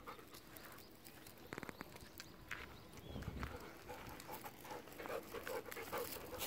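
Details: Golden Retriever panting during a long afternoon walk near home in Japan: quick breathy huffs at an uneven rhythm, a brief tonal sound early on, with footsteps and outdoor background noise.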